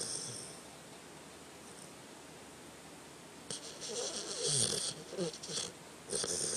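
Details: Tucker the dog snoring while asleep indoors: quiet steady breathing at first, then a run of rough, raspy snores with hissy breath noise in the second half, rising and falling unevenly.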